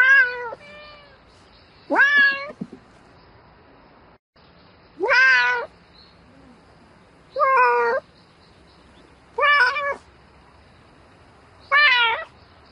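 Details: Domestic cat meowing for a mate in the night: five or six rough, strongly harmonic calls, each under a second, rising and falling in pitch, spaced around two seconds apart with quiet between.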